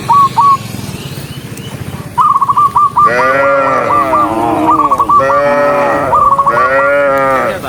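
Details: Dozens of cows hurrying along a countryside road; a run of clipped whistled chirps leads into three loud, bellowing moos that rise and fall, each followed by more whistles.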